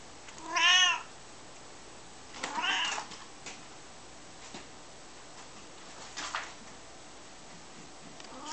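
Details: During a game of fetch, Dave the Maine Coon lets out a loud rising-falling meow, then a quieter second meow, with faint knocks afterward in an otherwise quiet room.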